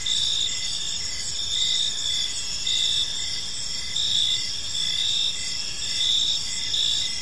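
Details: Many crickets calling together in a park at evening, a continuous high trilling texture with brighter pulses roughly once a second and a row of softer, rapid chirps beneath.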